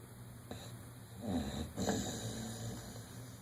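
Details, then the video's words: Dodger, a dog one year old, dreaming in REM sleep, gives a faint short breath and then two rough, low snoring breaths in quick succession against a steady indoor hum. "Dog Snoring & REM Dreaming"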